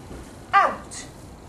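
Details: Gavin, a five-month-old dog in training, gives a single short, clear yelp that arches downward, in a quiet indoor room between a trainer's praise of "good boy" and "find it".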